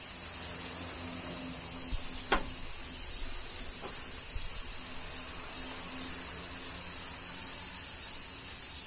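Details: Continuous high, hissing cicada chorus from Kyoto, Japan, in summer rain, with a faint low rumble underneath and one crisp click early on.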